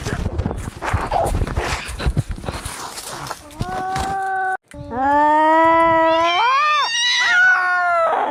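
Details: Fighting domestic cats, angry calls meant to drive mice away: noisy scuffling and hissing first, then a sustained harmonic yowl that rises and wavers in pitch over the final four seconds.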